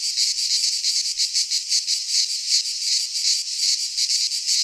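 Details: Midsummer cicada chorus recorded in a pine forest in Greece, an unbroken shrill buzz that swells and fades in quick throbbing pulses several times per second, with no other sounds.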